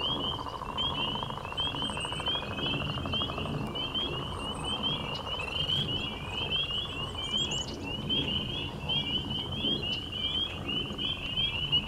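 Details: A dense chorus of spring peepers at Five Rivers, each giving a high, clear, rising peep over and over.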